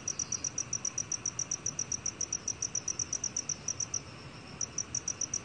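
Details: Black cricket recorded by Korea's National Institute of Biological Resources in 2020: high, clean chirps about four per second in a steady train, with a brief pause near the end, over a soft background hiss.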